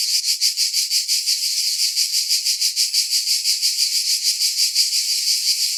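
A cicada calls with a loud, high, rasping buzz. The drone swells and fades in quick, even pulses, roughly three each second, without a break.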